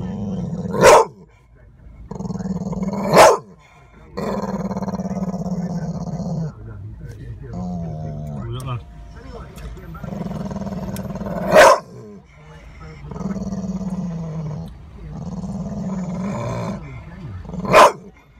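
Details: An angry Staffordshire Bull Terrier growls low and steadily, breaking into a few sharp barks.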